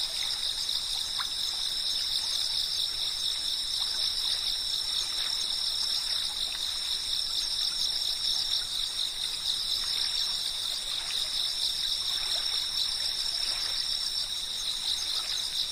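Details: A wall of cicada chirping, shrill and even, several pitches sounding together without a gap, accompanied by the gentle flow and trickle of a stream.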